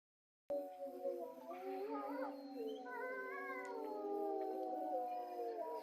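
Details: Grey wolves howling at Tama Zoological Park around 3 pm. After a half-second silence, several long, smooth voices overlap, holding and slowly bending their pitch, with higher wavering tones rising in the middle. The chorus is fairly quiet and distant throughout.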